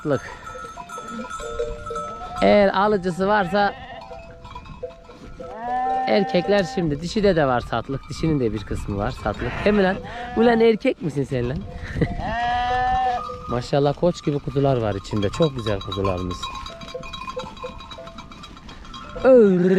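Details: Lambs separated from their mothers give bursts of quavering bleats spread through the recording, several animals calling in turn, mixed with other noises and faint ringing.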